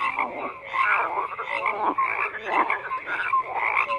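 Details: Dense crowd of croaking frogs, with raspy pulsed calls swelling and fading and a few short whistled pips standing out above the steady chorus.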